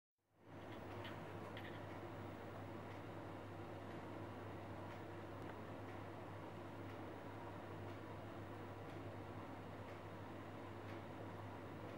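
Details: A steady, droning mechanical hum, like an air conditioner or a running vehicle, fills the whole stretch after a quick fade-in, with no animal voices.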